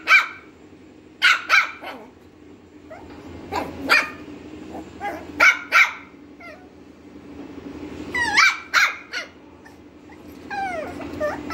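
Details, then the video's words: Lhasa Apso barking in irregular clusters of quick, sharp barks mixed with a few higher yips and short pauses, over a faint constant background hum. "Barking of lhasa apso"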